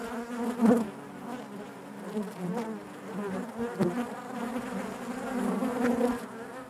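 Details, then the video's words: Honey bees humming in their hive: a constant low buzz with several nearby bees flaring louder at intervals, especially around the first second and near four seconds. "bees therapy hive natural buzzing sound"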